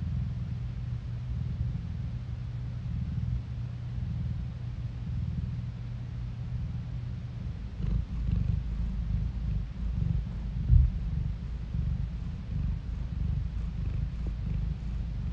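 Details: Phone recording of a cat purring: a low, even rumble with a steady hum in the first half, then a rougher, more pulsed purr with a short louder knock near the end.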